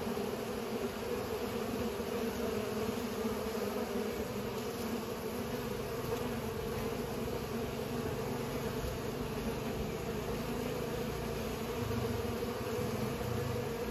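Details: Bees pollinating keep up a constant droning buzz over a rumbling low background noise, the humming steady throughout.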